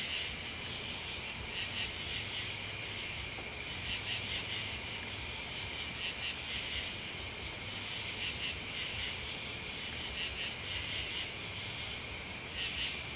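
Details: Crickets and bugs sing in a thick, high-pitched continuous drone, punctuated by brighter pulsing surges roughly every two seconds, with a low steady hum in the background.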